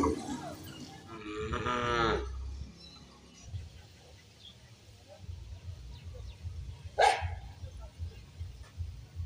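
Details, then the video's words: A cow with a calf, eating in a field. One short, harmonic-rich moo sounds near the start, followed by quieter background rustling and a single sharp click later on. "Cow Sound Effect For Kids"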